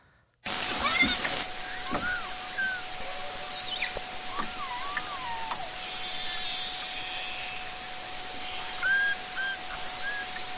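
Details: Beluga, the white whale whose song is known for harmony and melody, underwater: scattered wavering whistles, chirps and descending squeals at varied pitches, with a faint steady hum running beneath and hiss of water noise.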